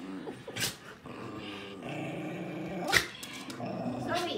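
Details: Samoyed growling while pulling an American Eskimo dog in play: steady low, gritty growl with brief pauses, sharp clattering knocks from the scuffle and a person calling out.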